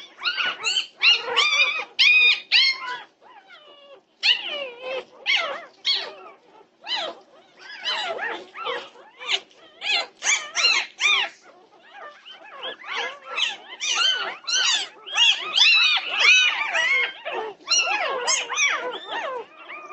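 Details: Norwegian Buhund puppies calling at night, 2:30 am, 8 June 2021. A near-constant stream of shrill, bending whines and sharp yelps overlaps, loudest toward the end, with only brief pauses between bursts.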